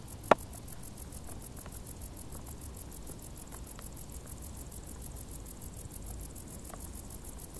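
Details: Crickets chirping in tall grass on a hot summer day: a steady train of high, rapid pulses, about six per second, with one sharp click near the start over a faint low rumble.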